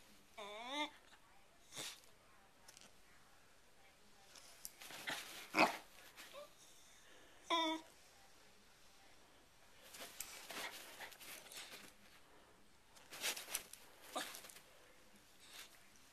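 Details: Sherlock the dog going crazy at a hair clip opening and closing indoors: wavering, rising whines near the start and again midway, scattered short yelps, with clicking and a human voice in between.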